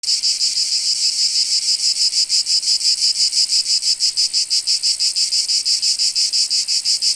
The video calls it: Sound Effects - Nature ambience. Cicadas SFX 2.